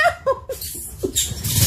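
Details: Alaskan Malamute named Tonka, a pet dog reacting to a mannequin head it had never seen before, gives three quick, short whining vocal bursts, then rustling and handling noise with a person nearby.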